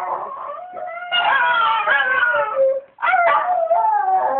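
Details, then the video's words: Pet Miniature Schnauzer singing early in the morning to wake its owner: sustained, wavering howls with bright harmonics, sliding up and down, one long phrase then a short break near three seconds before a second howl. "Miniature Schnauzer Singing"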